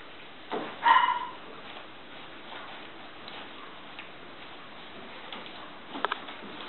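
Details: A female cream Toy Poodle puppy, born 1 May 2014 and recorded 17 June 2014 in Shiga, Japan, gives one brief, high whine that rises slightly and then holds steady.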